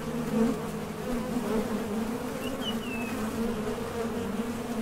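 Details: Honey bees buzzing at the entrance of a top bar hive as foragers leave and land while seeking nectar; a dense steady drone with strong bands and small swells, faint bird chirps briefly above.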